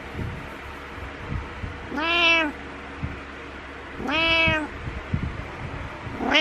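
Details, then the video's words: Butters the cat meowing to wake its owner in the morning while headbutting: two long harmonic meows about two seconds apart, each rising then falling, with a third starting at the end over soft indoor rustling. "Headbutting Morning Meows"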